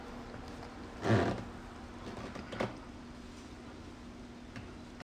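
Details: Quiet indoor room hum broken by a dull thump near the one-second mark and a lighter knock a little later, with no animal voice.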